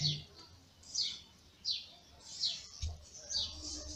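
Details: Newborn kittens of a ginger cat named Lady Ginger, born in May, cry with thin, high, falling squeaks repeated roughly every second, with a soft low rumble underneath.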